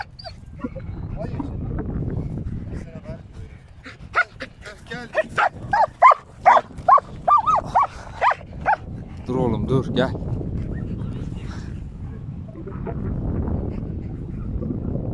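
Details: Ramiz, a German Shepherd standing up to a huge cow outdoors, lets out a quick run of sharp, loud barks in the middle, fast and uneven, between stretches of men talking and calling to the dog.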